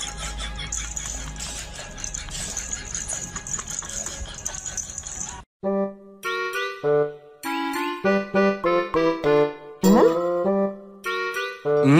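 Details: A noisy, jumbled stretch gives way to a bright music-box melody of plinking, chiming notes in quick succession.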